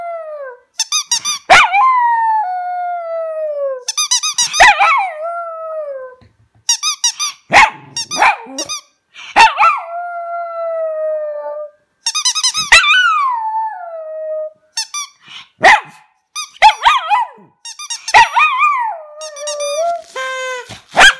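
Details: A dog named Toby singing: repeated phrases opening with short squeaky yips that sweep into sustained, gradually falling howls, about six rounds with brief silences between them.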